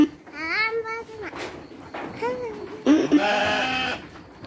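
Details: Sheep bleating while being given dry feed alongside children; two wavering, harmonic-rich bleats near the start and middle, followed by children's voices and chatter.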